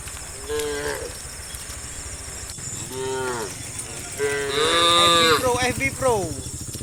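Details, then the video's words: Dozens of tame cows running down a green hill valley through the countryside in the morning; several overlapping moos, some short and some drawn out with rising and falling pitch, over steady insect buzzing. "Dozens of tame cows run nimbly down the green hill valley through the countryside, the sound of cows"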